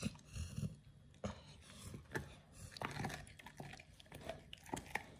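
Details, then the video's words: Oliang, a Pit Bull, biting into a raw ostrich paw for the first time: dense crunchy chewing with rapid clicks and moist smacking, plus a few hard snaps. "Oliang the Pit Bull 1st time eats Raw Ostrich PAW [ASMR] BARF | MUKBANG 動物の咀嚼音 | 犬が生の肉を食べる"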